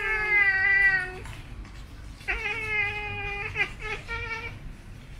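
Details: Siamese cats grooming and playing give drawn-out, tuneful growls: a long harmonic moan of about a second, a pause, then a longer wavering call and a short final note, almost song-like, in a quiet indoor setting.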